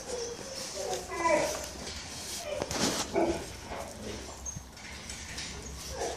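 An Akita puppy gives short, high whimpering yelps, with people talking quietly nearby.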